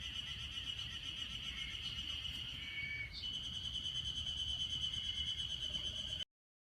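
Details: Ezo harusemi cicadas singing in a May heatwave at Otaru's Hanazono Park, Hokkaido; an unbroken high, ringing drone with a few softer lower interjections, ending abruptly in silence.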